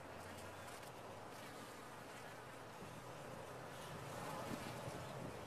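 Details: Colony of honey bees humming inside a top-bar hive, a continuous low droning buzz that swells slightly louder toward the end, with occasional brief whines of single bees flying near.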